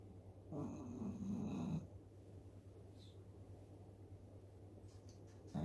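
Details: Eleven-year-old Shih Tzu named Dooly snoring loudly while asleep after eating kibble: one long, rough, low rasping snore lasting about a second, then quiet breathing, with another snore starting at the end.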